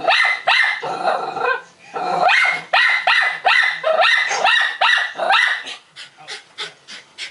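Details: A small Maltese dog gives rapid, high-pitched yappy barks in quick succession, reacting to a barking dog on a TV or computer screen.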